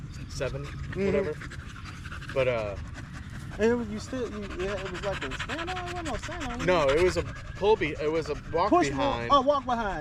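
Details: During a long evening at the park, a Staffordshire Bull Terrier joins other male dogs in a 'wolf pack chat': looping, modulated whines and yodel-like arcs in bursts, interspersed with panting and low background hum.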